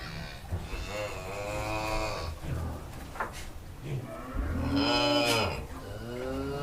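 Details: Two moos from a farm cow, a first longer call falling in pitch and a second shorter, louder one later, with some knocking and faint background noise in between.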